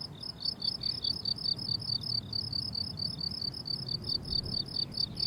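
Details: Meadow crickets in summer, several calling together in regular high-pitched pulsed chirps about twice each second, with a quiet low-frequency background murmur.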